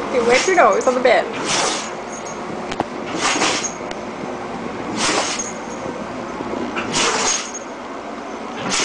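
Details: A person speaks briefly, then Jojo, a female dog caught in a sneeze attack, lets out four forceful, breathy sneezes roughly every two seconds over steady background hum.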